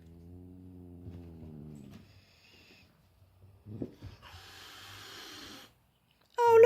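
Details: Cat meeting his younger brother for the first time gives a low, drawn-out moan lasting about two seconds, followed by brief rustles and a hissy burst of noise, then a loud sharp sound at the end.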